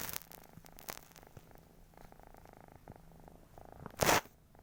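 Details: Domestic cat snoring, a soft low rumbling pulse train broken by brief gaps, with several sharp clicks and one loud rustling burst near the end.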